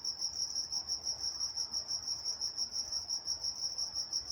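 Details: Crickets chirping at night in Walnut, California, a bright sustained trill beating in a rapid, steady rhythm of about three to four pulses a second against near silence.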